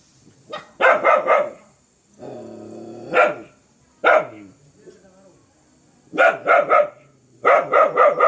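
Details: A fierce dog barks in fast bursts of three or four, broken by a long rising growl-whine that ends in a bark, then more rapid triple and quadruple barks.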